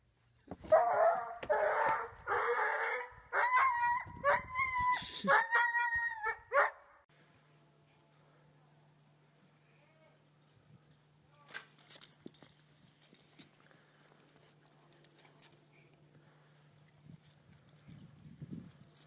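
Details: Pet dog giving a rapid burst of loud, tonal barks and yips for about seven seconds, then falling quiet over a steady low hum and faint scattered indoor sounds.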